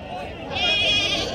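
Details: Red sheep bleating at a sheep market, a wavering, quavering bleat over the middle of the clip amid crowd chatter and speech.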